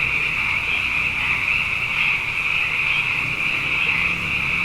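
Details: Frogs in abundance after two wet years in a row, calling at night: a dense, unbroken chorus of high trilling voices merging into a steady shimmering band, with faint low rumble beneath.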